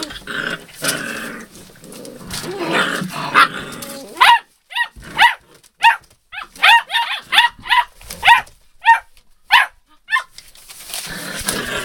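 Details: Puppies filmed 02/08/12: rustling and scuffling noise at first, then a steady run of sharp, arched yelps about every half second, each bright and ringing, fading out near the end.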